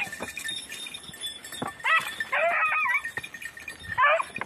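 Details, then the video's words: Beagles, red and blue tick and lemon white, in 2021 hare hunting practice on Crete, Greece. Two or three short, strained, wavering bays are separated by pauses, over a steady background hiss. "2021 hare practice redblue tick lemon white beagle crete Island , μπιγκλ εκπαιδευτικο κρητη 2021"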